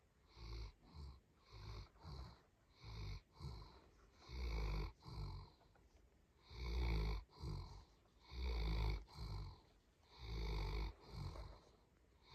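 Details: Dog snoring in a rhythmic series of low, rattling breaths, about one every two seconds, some short and soft, others longer and heavier with a gravelly rumble, separated by brief near-silent gaps.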